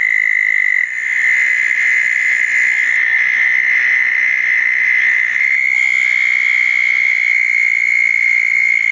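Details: Several southern toads trilling together at a pair of small ponds after a June thunderstorm; the high, continuous trills shift and overlap, and a softer buzz rises and falls above them.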